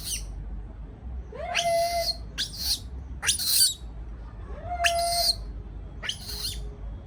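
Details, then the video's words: Baby monkey left alone in a cage, calling out of fear; loud harsh screeches in bursts every second or so, some opening with a short whistled tone, over low background rumble. "sound of monkey when affraid to be alone"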